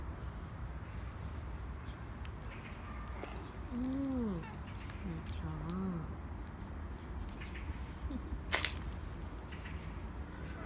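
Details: A Korean shorthair house cat, Nacho, begs for more treats after one churu, with two other cats in the home. Two rising-then-falling meows mid-clip, a double meow after, over steady low background hum and faint voices.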